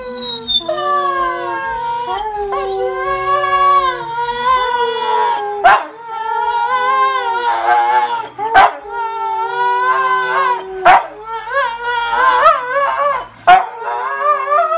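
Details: A pet dog howls in long, wavering tones that rise and fall, singing along with a contestant on the TV show The Voice.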